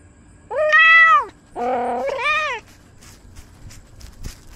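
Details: Domestic cat meowing while encountering a squirrel, filmed by a camera worn on the cat: two long, clear, harmonic meows, the first rising then holding steady, the second lower and buzzier, followed by quiet outdoor background rustling.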